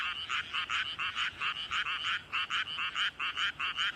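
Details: A frog in a flooded paddy croaks with its throat ballooned out. Loud, raspy pulses come fast, about three or four each second, with slight pauses between groups, over a quiet chorus.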